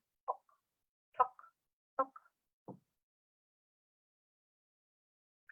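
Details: A Striped Marsh Frog, common in backyards, ponds and dams around the Sydney region, gives short, loud, hollow tocks like a tennis ball struck by a racket.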